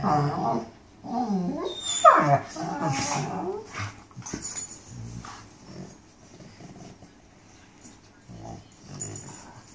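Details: Mastiffs talking: wavering moan-like vocalizations and a rising whine early on, then softer grumbling murmurs, heard indoors.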